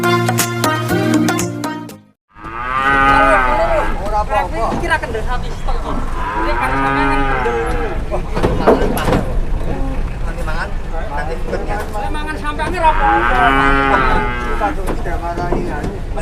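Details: Angry cow raging in Indonesia, confusing a driver: after a short burst of music, long, loud, drawn-out moos come three times, each swelling and then fading, over steady low rumble.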